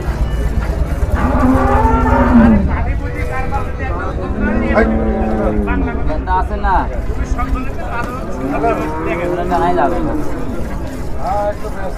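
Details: Holstein Friesian cow giving forty litres of milk, at a Bangladeshi cattle market during milking; repeated moos, some level and some arching, rising and falling, mixed with people talking and music in the background.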